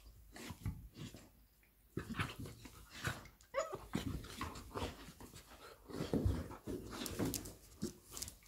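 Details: Labrador Retriever mother Lilly and her puppy Molly playing indoors: short rough growly bursts and scuffling noises, a brief high whimper-like squeak in the middle, separated by quiet gaps and rustling.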